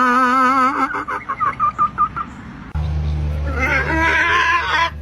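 A donkey brays in a harsh, wavering run of rhythmic pulses, with music underneath.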